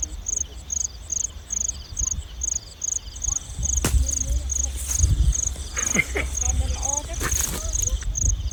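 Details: Field crickets give high, steady pulsed chirps at night, between about 9 and 10 pm, while people catching crickets talk nearby.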